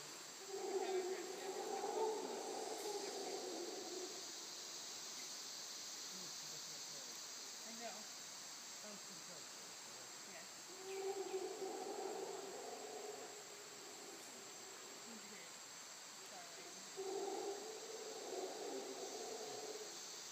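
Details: Distant howler monkeys in Costa Rica give deep, rasping roars in surging bouts over a steady hiss of insects.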